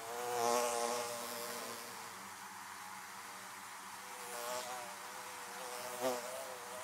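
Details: Buzzing of bees around their hives, a continuous layered drone that grows louder as one insect passes near the start, then settles into a steady hum with two quieter passes later.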